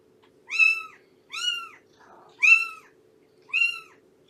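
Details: Four clear, high-pitched meows, each a short arched note with bright harmonics, spaced about a second apart, from cats fostered with rescued mother Shelby and her kittens indoors, a faint hum underneath.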